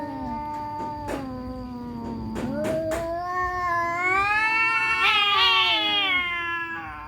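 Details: Two cats fighting, an orange cat and a black cat, village cats; long drawn-out harmonic yowls rising and falling in pitch, swelling into a louder, higher wail toward the end, with a few sharp clicks early on.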